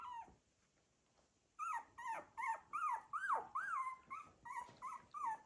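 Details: A litter of Cocker Spaniel puppies moving about make a quick run of thin, squeaky whimpers, several each second, many rising then falling in pitch, after a brief soft opening whine and short pause.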